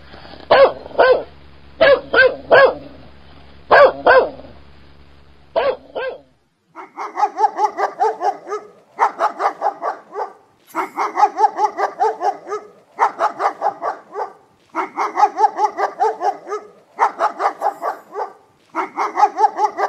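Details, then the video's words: Barking dogs in compilation footage: first a few loud single barks over low hum, then rapid rattling series of higher barks in clustered bursts. "Scary dog barking sounds"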